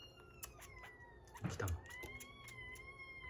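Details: Rescued kitten, 47 days old, kept indoors, a long wavering meow held across the clip with a gently rising and dipping tone, broken midway by a brief thump and rustle.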